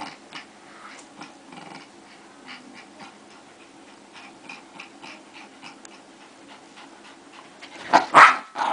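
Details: Two fighting dogs growl low and continuously, then break into a sudden loud snarling outburst near the close.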